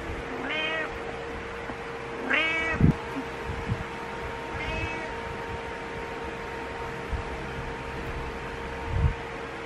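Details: A cat named Butters meowing in the morning: three short harmonic meows, the middle one loudest, over a steady electrical hum and a few soft thumps indoors.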